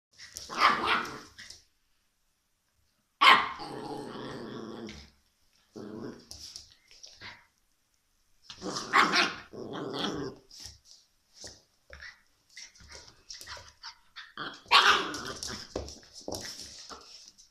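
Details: Shiba Inu puppy giving rough, broadband growling barks in short bursts, several spaced out over about seventeen seconds with quiet gaps between them.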